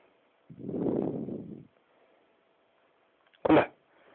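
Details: A 4-month-old pug puppy gives a long, breathy, whining yawn, followed by a short snuffling exhale.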